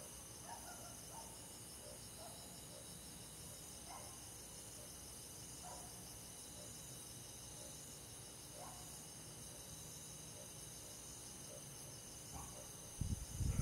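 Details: Crickets with forest insects on a summer night, a continuous high pulsed trilling from many callers, faint scattered clicks, and a sudden loud low rumbling thump near the end.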